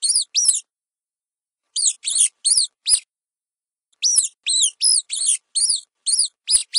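A mouse squeaks in short, shrill bursts, each note sliding up and then dropping back down. The squeaks come in quick runs of two to five, separated by pauses of silence.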